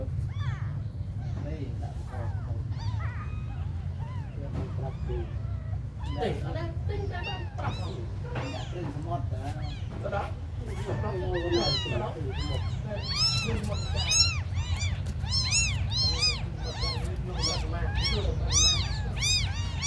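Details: Very small abandoned kittens calling. Scattered faint mews are mixed with human talk in the first half, then a dense run of high, arched, insistent meows follows in quick succession over a constant low rumble.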